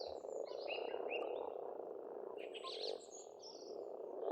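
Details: Spring pond chorus of frogs in Estonia: a thick, continuous mass of overlapping croaks, with short whistled and trilled bird song above it. The chorus dips slightly near the end.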